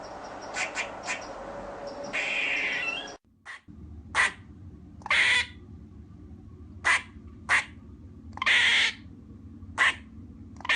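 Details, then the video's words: Barking squirrel, opening over rough background noise, then spaced short chucks mixed with longer, harsh, drawn-out buzzy calls over a low steady hum. "squirrel sound effect - sound of squirrel barking"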